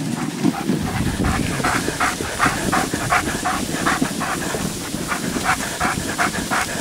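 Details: Alaskan Malamutes pulling a sled through snow at Payolle on 31 January 2012; quick breathy panting bursts, roughly two to three a second, over a steady hiss of runners on snow.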